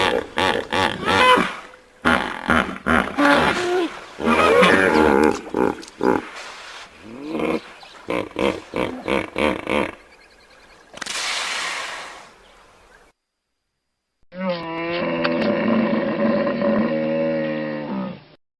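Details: Hippopotamus letting out a long string of loud, pulsed honks and grunts in quick succession, a breathy hiss midway, then a sustained wavering, nasal, harmonic bellow after a short pause.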